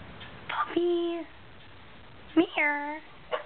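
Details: Grown-up Shetland Sheepdogs playing wildly indoors, two drawn-out high whining yelps, each about half a second, steady then dropping slightly, with a person calling a dog's name just before.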